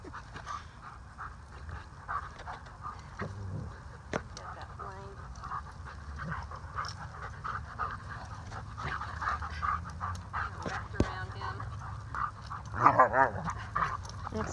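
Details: Two Alaskan Malamutes at play: Waldo, a male rescue dog with Moonsong Malamute Rescue, and Aspen, a playful female alum. Steady panting and scuffling, then a short harmonic growl-whine near the end, with a person talking softly.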